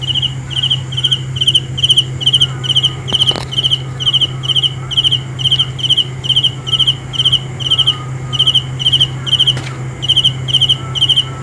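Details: Insistent cricket song: short high trilled chirps repeated a little over twice per second for the whole stretch, two brief clicks partway through, steady low hum in the background.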